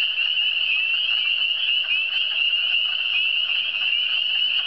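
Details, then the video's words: Frogs in the Eastern Townships keep up a steady, piercing trilled chorus, many voices blended into one continuous high buzz with slight pulsing in loudness. "Le son des grenouilles"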